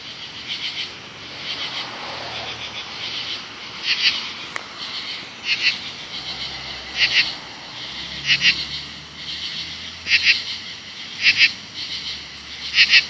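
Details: Seventeen-year cicadas during their emergence, calling next to bushes in the late evening of August 6, 2013: a loud, steady high-pitched hiss carries loud pulsed bursts in pairs and triplets that return roughly every one to two seconds.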